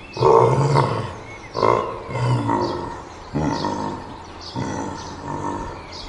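A gorilla gives deep, rough roaring calls in short bursts, repeated roughly every second or so.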